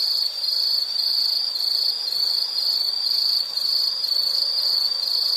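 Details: Insect sound of nature: a bright, sustained high-pitched buzzing trill with slight rhythmic swells in volume and no accompanying voices or noises.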